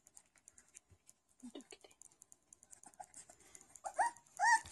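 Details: Schapendoes puppies, four weeks old, playing together; scattered high squeaks and soft scuffling clicks, then a few louder rising whining yelps close together near the end.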